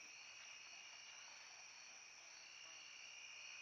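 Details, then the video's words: Crickets and katydids sing a steady, high-pitched chorus of layered shrill trills at dusk in late summer, in a forest clearing on a wildlife travel corridor. The evening chorus is already waning as autumn nears. "You can hear the crickets and katydids begin singing their summer evening swan song."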